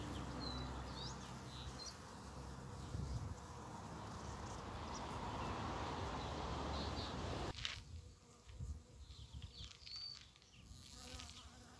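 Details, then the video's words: One of the first bumblebees of spring, when snowdrops and primroses bloom and nature wakes: a low, steady droning buzz with rich overtones for about seven seconds, then it cuts off abruptly, leaving quiet outdoor air with faint high bird chirps. "Первые Шмели"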